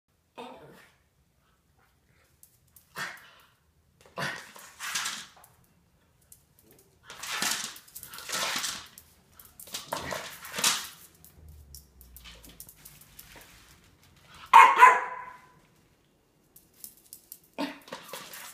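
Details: Miniature Pinscher. A Miniature Pinscher eats noisily, making irregular bursts of crunching and smacking separated by short pauses. Near the end comes a brief, slightly tonal grunt in a quiet indoor room.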